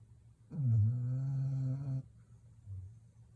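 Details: Young Labrador Retriever just under one year old, asleep and snoring hard: one low rumbling snore about one and a half seconds long with a rough, droning tone, followed by a faint short breath.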